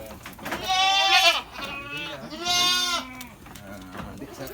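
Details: Penned goats raised for fattening on a farm in Lhokseumawe, Aceh, Indonesia, give two loud, quavering bleats about a second and a half apart, each falling slightly at the end, while a man talks nearby.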